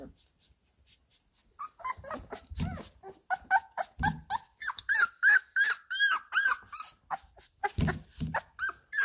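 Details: Labrador Retriever puppies, 17 days old, playing in their whelping box indoors: rapid high squeaks, whines and yelps in irregular bursts, some rising and falling, with low thumps and rustling from the litter.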